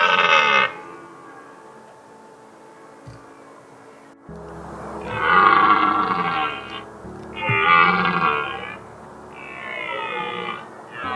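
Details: Red deer stags roar during the autumn rut in the mountains. About ten stags with their hinds give hoarse, drawn-out, cavernous bellows rich in rough harmonics, signalling their presence to females and warning off rival males.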